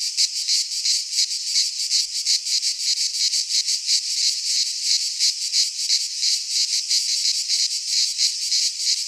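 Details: Midsummer chorus of cicadas in a pine forest in Greece, a loud high-pitched sizzling buzz that throbs in quick regular pulses, roughly three per second, without pause.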